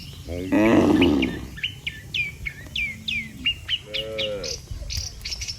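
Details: Tame cattle herd heading back to the barn after a day on pasture: one strong moo early, a shorter lower moo later, between many quick high chirping bird calls.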